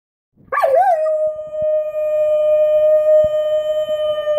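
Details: A Czechoslovakian wolfdog in northern Italy gives a long, steady howl after a brief wavering start.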